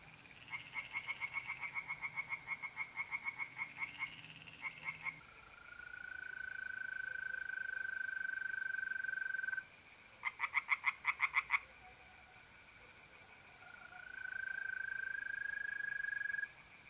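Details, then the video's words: Tree frogs calling at night by a pond in north-east Italy in mid-April: bursts of rapid pulsed croaks alternate with long, steady, pure-toned trills of mole crickets, with quiet gaps between. "relaxing singing tree frogs in pond"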